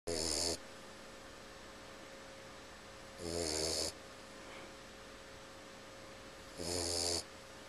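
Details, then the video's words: A sleeping Boxer puppy named Vega snores in three loud rasping bursts about three seconds apart, each rough breath lasting half a second, with quiet room hiss in between. "Boxer Pup Snores"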